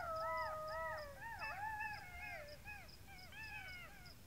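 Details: Golden jackal (Canis aureus), howl.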